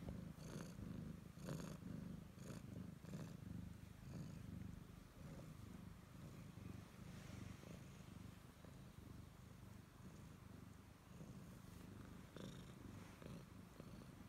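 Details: Purring from a pet Siamese cat that clings to its owner: a deep, even rumble that swells and eases about once a second, with a few soft clicks and light handling noises early on.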